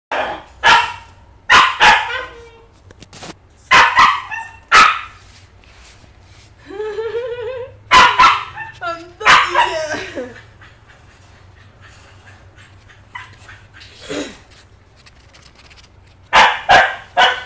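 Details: Female Maltese puppy, eight weeks old, home-bred, in Subang Jaya: sharp high yapping barks in bursts of two or three, with a run of thin rising whines midway and one short falling yelp later.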